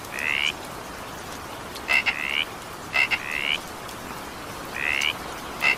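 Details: Raspy rising croaks from frogs during evening rain, about one every second, several introduced by crisp double clicks, with steady rain noise throughout.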